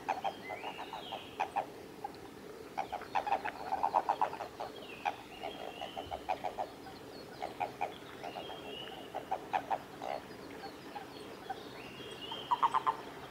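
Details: Japanese common toads during amplexus at Kawaguchiko Field Center, Japan, recorded 22 April 2018. Scattered short clusters of low, clucking pulses are broken by quieter gaps, and sliding whistled notes drift in the background.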